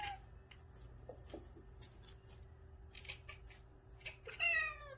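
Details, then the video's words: Pet cats in a nine-cat household chattering when a new feather toy comes out; scattered clicks and soft ticks, then a bright rising chirp near the end over a steady low indoor hum. "새로운 장난감을 마주한 고양이들의 채터링 소리"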